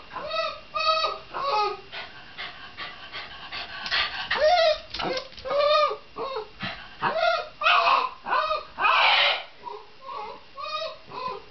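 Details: Shiba Inu whining and yelping insistently, with rising-and-falling harmonic cries repeated in rapid irregular succession, some rougher, screamier outbursts mixed in near the end.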